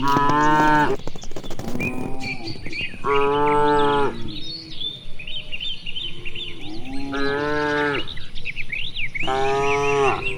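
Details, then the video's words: Cows grazing freely in broad rice paddies on a clear afternoon, calling back and forth: several full, resonant moos in quick succession, one cut off sharply, against continuous birdsong from distant trees. "Vidio suara puluhan sapi lucu"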